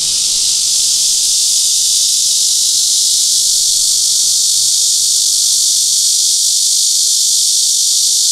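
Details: Cryptotympana cicada, given as Crytotympana pustulata or Cryptotympana atrata, recorded with a Sony PJ820 and ECM-XYST1M microphone: a loud, continuous hissing buzz held steady throughout, filling the upper register with no breaks.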